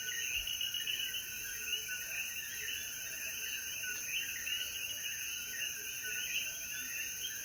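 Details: Puerto Rican coquíes at dusk after rainfall in the hills of Jayuya. Countless chirping calls overlap into a steady pulsing chorus, backed by an unchanging shrill insect hum.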